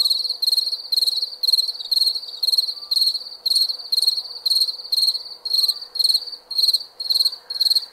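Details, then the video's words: Crickets calling at night with a piercing, pulsed chirp repeated steadily about two times a second, set against a faint background hum and a couple of thin distant tones. "Cricket Sound – Crickets Chirping"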